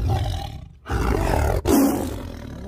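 Big cats roaring, deep rumbling bursts heavy in low tones, broken by brief pauses.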